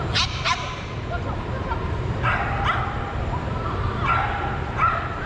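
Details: Soft Coated Wheaten Terrier pup near Denver, 6 August 2022: sharp bright barks or yips in pairs, near the start, around 2.3 and 2.7 seconds, and again near 4.1 and 4.8 seconds, over a steady low rumbling background.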